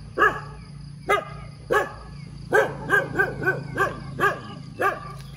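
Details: A dog barks persistently in the morning, nine hoarse, clipped barks, starting spaced apart then tightening into a rapid run, over a low steady hum and faint high whine.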